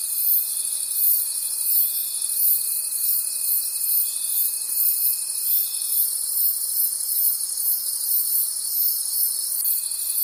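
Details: Many crickets trilling in a forest after dark, a continuous bright, rapidly pulsing chorus; a steady whistle-like tone runs beneath it for the first six seconds and comes back briefly at the end.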